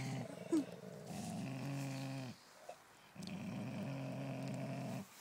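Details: A Golden Mountain Dog playing tug of war with another dog, neither giving up; low, steady rumbling growls in two long bouts of about two seconds each, separated by a short pause.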